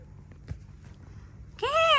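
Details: Mother cat playing with her kittens: soft rustling and faint taps, then one clear, high, slightly rising-and-falling meow at the very end.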